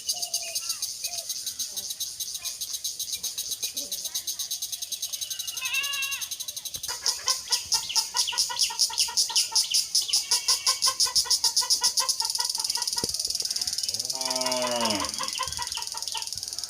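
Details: Crickets in daylight in rural Bangladesh: high, fast pulsed chirping swells in the middle, mixed with rising and falling bird calls and other voices from the village surroundings.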